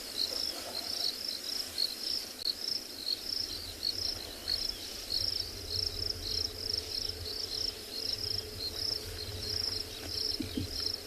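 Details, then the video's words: Crickets calling all around a safari vehicle on an overcast February afternoon after rain in a South African private game reserve; continuous high, rapidly pulsed chirping in regular bursts, with a faint low hum beneath. "if you can hear all the crickets crawling around us with it being so overcast"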